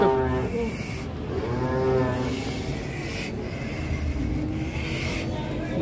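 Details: Cow rolling over after coming down from a truck: a drawn-out low moo with stacked harmonics swells and fades over a few seconds, under steady background rumble and faint voices.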